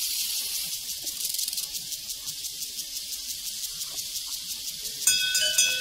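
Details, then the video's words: Crickets on a prairie chirp in rapid, evenly pulsed bursts over a high hissing chorus, then a cowbell rings out clearly in the final second. "Sounds from a Prairie Crickets and Cowbells"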